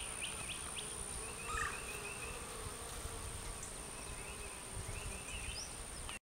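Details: Honey bees returning to the hive with full pollen baskets make a steady, droning hum of many wings buzzing together, with faint chirps in the background.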